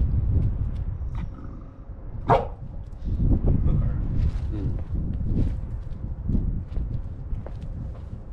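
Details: Big dog named Three Fat playing tug of war with a puppy beside a railroad; one sharp short bark or yelp early on, then a few fainter vocal bursts over constant low rumbling, scuffling handling noise.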